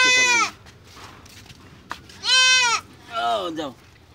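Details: Goat being castrated crying out in strained, nasal bleats: one at the start, a louder one midway, and a shorter, falling one after, with quiet gaps and a brief knock between.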